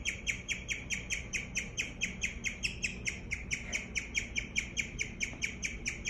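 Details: A domestic guinea pig chirps in rapid succession, about two bright, high, bird-like notes per second, evenly spaced and sustained throughout, over a low background hum indoors.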